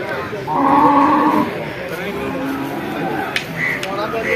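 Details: A large male water buffalo at a market where trading is under way gives one drawn-out, tonal low moo lasting about a second, followed by people talking and a couple of sharp clicks.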